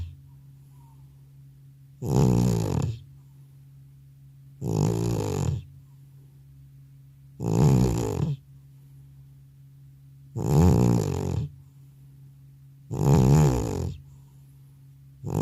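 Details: Elderly pet cat passed out asleep after a vet trip, recorded with no separate microphone: a steady run of six short, gravelly snores, one about every two and a half seconds, each rumbling low and harsh, quiet room between.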